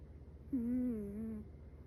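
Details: Sleeping Chihuahua puppy Metaru gives one gentle snore, a steady humming whine of almost a second with a slight wavering dip, rich in overtones, over faint low background hum.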